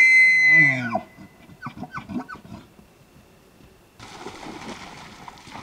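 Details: Elk. A bull elk's bugle opens with a shrill, sustained whistle over a rough undertone, then slides down into several throaty chuckling grunts. A burst of breathy rustling noise follows after a short pause.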